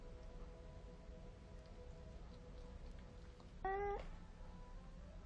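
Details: Nero, a stray cat settling into a new home and moving from the shoe cabinet to the bathroom, gives one short, clear meow near the end. The meow is harmonic and steady in pitch, heard over a low, constant background hum.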